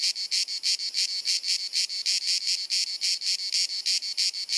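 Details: Cicada singing on a hot sunny summer afternoon in Dalmatia, Croatia, filmed on a compact camera: a loud, high, buzzy pulsed chirring, pulses repeated about three times per second in a steady, incessant rhythm.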